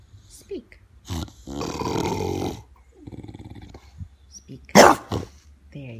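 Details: A pet bulldog, asked to speak as a trick during a playful interview, gives a drawn-out growling, grumbling vocalisation and a short sharp yelp, with a woman's encouraging speech before and after.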